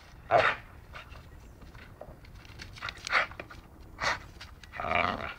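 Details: Dachshund playing and biting indoors, giving short harsh growl-like bursts at irregular intervals, four or five quick outbursts separated by quieter panting and scuffling.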